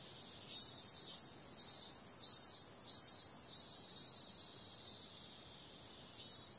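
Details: Summer night cicada buzzing, a piercing hiss that throbs in five regular surges over the first three and a half seconds, holds steady, then swells again near the close.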